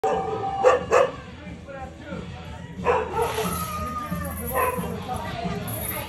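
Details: A Thai Ridgeback dog in Thailand gives a few sharp barks, two close together, then a later one.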